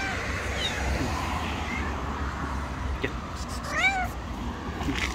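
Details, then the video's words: Angry stray street cats, a white cat and a rival tabby, in a confrontation; one short, arched, wavering meow sounds over steady outdoor background noise and distant rumble. "Angry White Cat gets slapped by another rival Angry Tabby Cat."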